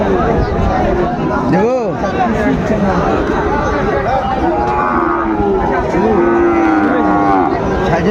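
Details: Sahiwal cattle, bull calves at a crowded cattle market in Chattogram, Bangladesh, on 17 March 2025: one short arching moo near the middle, with faint lowing and constant buyers' chatter and bargaining voices around it.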